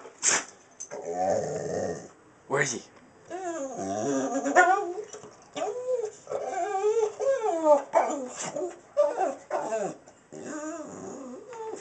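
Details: American Staffordshire Terrier reacting to a cat seen outside, unsure what to do: wavering, whiny, yodel-like vocal bursts that bend up and down in pitch, repeated over several seconds, with a person talking alongside.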